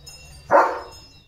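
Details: Leo, a pet German Shepherd, given a bath at home; a single short, full bark swells suddenly and fades within about a third of a second over quiet background hum.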